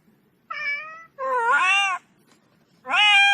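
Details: Kitten calling with three meows in quick succession: a level first note, then a longer meow that rises and falls, and a third starting as the clip ends, over a faint low hum.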